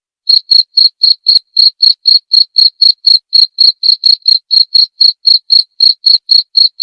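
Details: Continuous cricket chirping used to train cage songbirds and for therapy, short pulsed chirps repeated about four times a second for nearly seven seconds, evenly spaced, high-pitched and clean, with nothing else heard.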